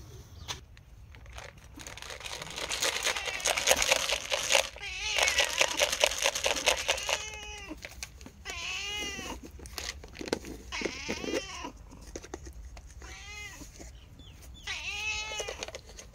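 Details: Sorna cat meowing repeatedly for food, short arched meows coming in quick succession in the second half, after a stretch of broadband rustling and clatter.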